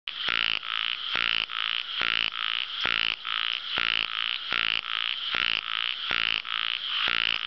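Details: Ornamented pygmy frog calling steadily: harsh, raspy croaks built from rapid pulses, each under half a second, repeated about every 0.6 seconds in an even series, with no other sounds.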